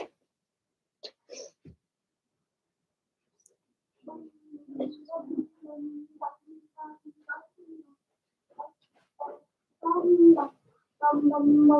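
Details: Blenheim Cavalier King Charles Spaniel puppies from a six-pup litter, two females and four males born March 7–8, in an indoor puppy pen during potty training; soft whimpers and tonal whines come in irregular bursts, growing louder toward the end.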